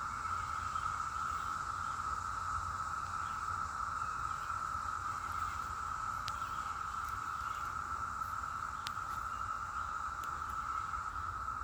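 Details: A loud, unbroken chorus of cicadas in the mountains of western North Carolina, where they are plentiful and flying about, makes a steady, even buzzing drone that holds the same pitch throughout.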